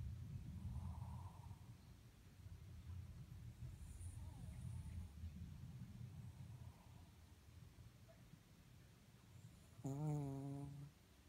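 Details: Moka, a Shih Tzu, sleeping and snoring oddly: low, rumbling breaths rise and fall for several seconds, then one louder, nasal, tonal snort near the end.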